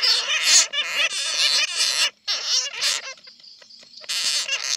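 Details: Harsh, shrill chatter of bats caught in a net, in bursts of squeaky screeching, used as a lure to draw more bats in.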